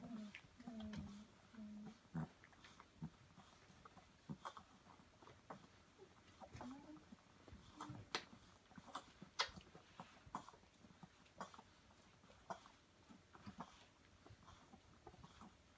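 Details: Samoyed mother Vixen nursing her 5½-week-old puppies in a whelping box indoors on Prince Edward Island, Canada, in January. Brief high whimpering whines open the recording, followed by soft, irregular clicking and smacking sounds.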